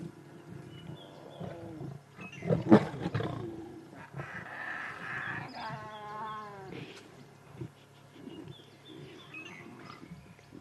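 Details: Wild lion roaring at sunrise in Sabi Sand, recorded 1 September 2016; fierce vocalisations loud enough for nearby lionesses to hear, with a loud burst near the start and deep grunting roars, birds chirping in the background.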